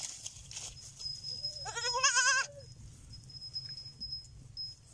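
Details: Baby goat giving one quavering, wavering bleat about a second long that trails off at a lower pitch. A steady high thin whine and low rumbling background run throughout.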